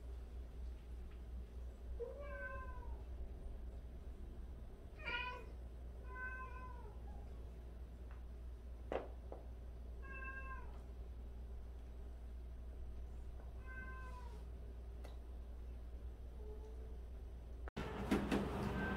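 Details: Cats from a household of 76 cats, including rescued and abandoned cats, meowing indoors: about six separate rising-then-falling meows with rich overtones, spaced a second or more apart, over a steady low hum.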